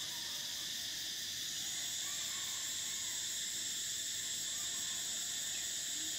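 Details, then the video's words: Cicadas singing in summer, a continuous piercing hiss-like whine held at an even loudness throughout, the layered tones steady with only faint flickers of other calls beneath. "Cicadas: the sound of summer, the soul of nature"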